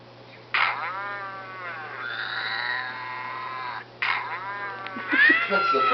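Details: A domestic cat beside an iPod gives long, drawn-out, wavering harmonic meows, the first lasting over three seconds with a steady tone held through its middle, then a second rising meow; faint background hum throughout.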